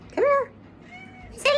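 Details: Domestic cat at a special needs cat sanctuary in Arkansas, up for adoption, meowing as a woman calls it over; two short tonal meows, the second rising, with her soft voice between them indoors.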